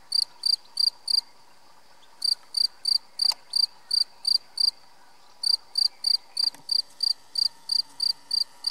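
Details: A European field cricket (Gryllus campestris), recorded at St-Orens-de-Gameville, Haute-Garonne, France, sings loud, shrill chirps, about three per second, in bursts with brief pauses.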